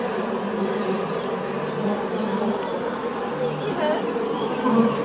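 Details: Western honeybee wing buzz played from a speaker at a honeybee exhibition in Natur- und Tierpark Goldau, Switzerland, 5 May 2018: a steady, low droning hum that holds without a break.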